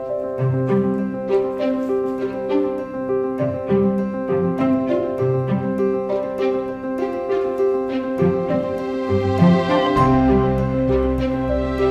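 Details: Plucked and bowed string music with piano plays throughout, with no animal sounds heard.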